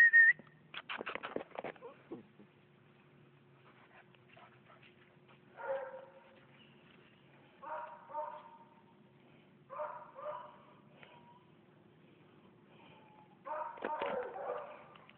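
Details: Male Bluetick Coonhound puppy, UKC registered, from Philipsburg, Pennsylvania: short whimpering yips and nasal whines in brief bursts every two to four seconds, after a person says "Come on" amid some handling noise.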